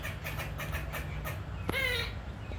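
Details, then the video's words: Squirrel harassing a pet cat: a run of soft rhythmic pulses, then one loud, sharp, harmonic whine that sweeps downward, over low steady background hum. "Squirrel Making Noises Harassing My Unbothered Cat"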